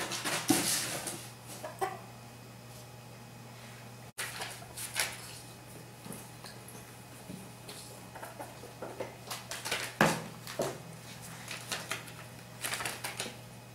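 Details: Ferrets fighting scuffle with sharp squeaks and hissy bursts, scattered irregularly through an indoor room hum.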